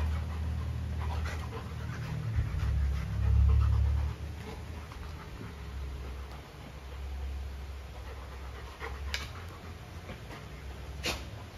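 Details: Golden retriever Luna, given a carabao horn as a new chew toy, panting rhythmically about four breaths a second over a heavy low hum, with a few clicks and taps.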